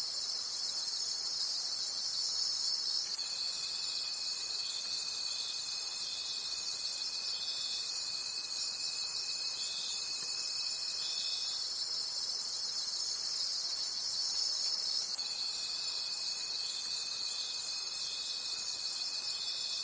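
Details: Forest crickets at night give a bright, unbroken shimmering chorus that beats steadily about three times a second, joined by a long sustained thin whine from about three to eleven seconds and again from fifteen seconds on.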